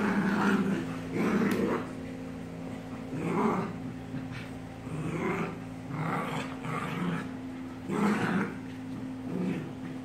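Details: American bulldog fighting a German shepherd and a Maltese: rough, throaty growls and snarls in bursts every second or two, over a steady low engine-like hum.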